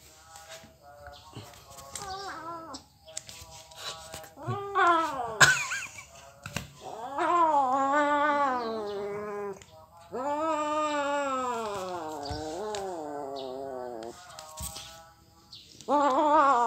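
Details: Kitten crying with long wavering harmonic meows, several drawn-out wails rising and falling in pitch, separated by short pauses, with a few clicks and knocks between calls.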